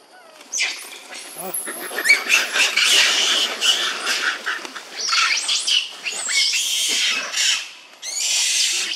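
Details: Baby monkeys of the Mohanoko troop in an archaeological park, waiting to pick up food: a dense, continuous chorus of shrill, overlapping squeals and screeches from several animals, swelling and fading with brief pauses.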